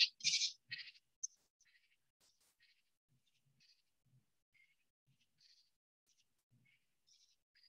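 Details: A common true katydid, a northern species not found in Florida, rasps out a loud three-part 'ka-ty-did' phrase, followed by fainter scratchy notes.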